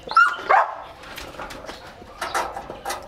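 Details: Excited male German Shepherd x Labrador mix waiting to eat 3-4 kilos of raw chicken: a high whine slides up and down at the start, then short softer yelps and whimpers follow. A person speaks nearby.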